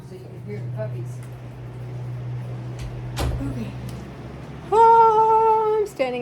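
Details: A Bullmastiff puppy from a litter gives a drawn-out, steady whine, then a brief falling cry, over a low fan or appliance hum, recorded 8-5-23.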